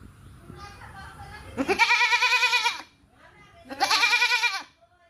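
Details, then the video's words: Two pulsing, vibrato-laden goat bleats about a second long, following a stretch of low background rumble and faint murmuring. "Goat Bleating Sound"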